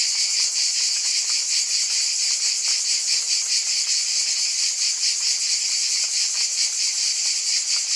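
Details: Buzzing chorus of cicadas, a loud high shimmering drone throbbing in quick regular pulses without pause, with nothing else audible.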